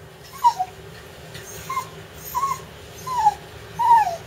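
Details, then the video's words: Pet dog excited about a bath as water is drawn, giving five short high whimpering yips spaced roughly every second, each a brief wavering squeal, over faint household background hum. "excited about bath"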